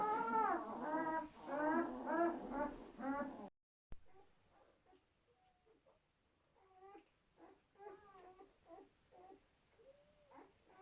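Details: German Shepherd newborns from a litter of seven born during labour give loud wavering squeals for the first few seconds, then softer, scattered short whimpers follow at lower volume.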